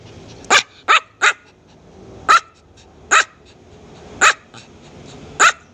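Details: Small dog giving loud, shrill barks: seven sharp, high-pitched yaps spread unevenly over six seconds, some in quick pairs and others after short pauses.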